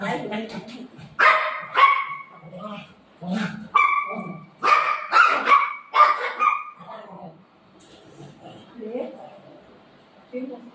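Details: Family dogs Buzo and Milo, a golden retriever and a shih tzu, squabbling over their mummy at home: a burst of sharp, tonal barks and yips through the middle seconds, with a person talking before and after.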